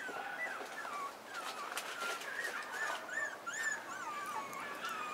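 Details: Male Pomeranian puppy born March 28, the only pup of its litter, giving thin high whimpers that rise and fall in short bent notes, several per second, over a soft hissy background.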